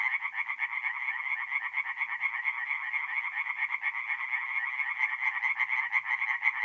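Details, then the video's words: Singing tree frogs by night at a woodland pond in north-east Italy during mid-April, many voices overlapping into a continuous rapid, nasal rattle of quick repeated croaks, slightly swelling and fading but never pausing. "relaxing forest pond by night with singing tree frogs"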